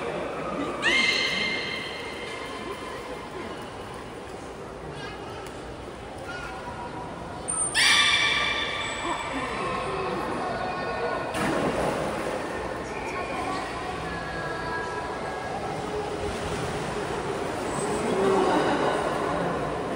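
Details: Belugas in a training session with every animal of the group taking part, Port of Nagoya Public Aquarium, Japan, 16 November 2024. Two loud, buzzy, harmonic bursts that slide downward, near one and eight seconds, over a steady background hum.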